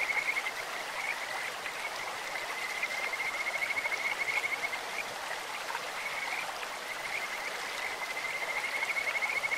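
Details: Bird-like calling of a Kajika frog in a clear mountain stream: long, even, high-pitched trills repeated through the clip with brief gaps, set against the continuous hiss of flowing water.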